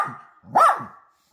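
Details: Poodle from a family with a mother and her puppies, one short nasal whining yelp that rises and falls, following a faint trailing tone, in a quiet home setting.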